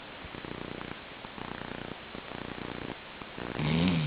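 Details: Labrador Retriever Chi-chan sleeping and snoring: faint, fluttering low rasps repeat steadily for several seconds, ending in a louder, wavering nasal snore at the close.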